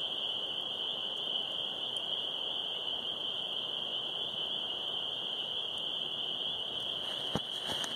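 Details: A dense chorus of many spring peepers (Pseudacris crucifer), about 100 yards from a backyard, merges into a steady, high-pitched ringing.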